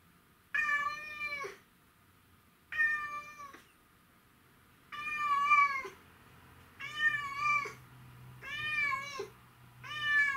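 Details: Indoors, Mimi the white and ginger Domestic Shorthair tomcat meows repeatedly for his absent owner: six plaintive, harmonic cries roughly every one to two seconds, some wavering in pitch, with a faint low hum behind.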